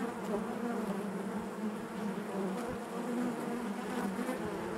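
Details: Many honey bees humming in their hive, producing a thick, unbroken low drone with wavering overtones and no pauses.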